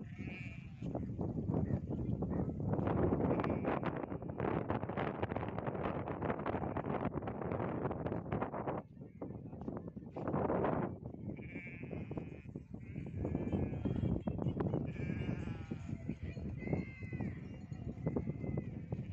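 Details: Farm goats bleating during hoof trimming in a shed: several short, wavering bleats with stacked harmonics come late in the recording, over heavy low rumbling and handling noise throughout.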